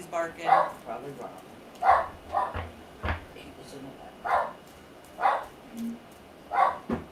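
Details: Pet dog barking at home: single and paired muffled barks, repeated every second or so, mixed with light thumps and a quiet household background.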